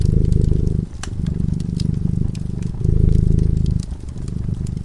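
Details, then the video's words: Cat purring while sleeping in front of a crackling fireplace; low, rumbling purr in steady breathing cycles of roughly one to two seconds, with sharp pops and crackles of the fire above it. "Purring cat"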